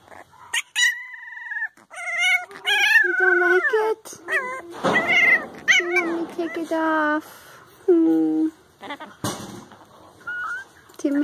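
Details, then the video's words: Several puppies crying and howling together, overlapping short whines and wavering howls, with people talking in the background. "Crying or Howling??? - CUTE puppies"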